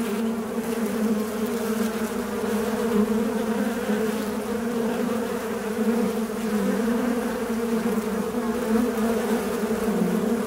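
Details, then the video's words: Continuous buzzing of a fly, a droning hum holding a low steady pitch with layered overtones, gently wobbling up and down over the whole stretch with no pauses and nothing else heard. "Звук мухи. Жужжание мухи."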